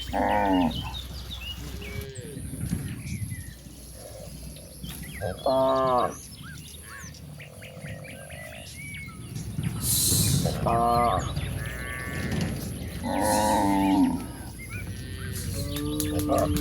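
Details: Cattle roaming toward a very wide pasture, lowing in long harmonic moos around the fifth, eleventh and thirteenth seconds, with short chirping birdsong and outdoor background noise in between.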